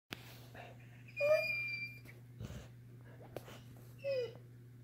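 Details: Saint Bernard puppy asking for food, giving two short high whines with bright overtones about three seconds apart, over a steady low hum in a small indoor room.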